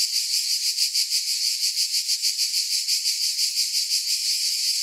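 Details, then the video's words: Shrill cicada buzzing, swelling and fading in even pulses about three times a second, sustained without a break. "Relaxing Cicada Sounds"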